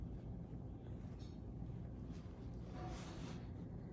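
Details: No animal sound is heard, only a low, steady wind-like rumble with a brief soft hiss near the end.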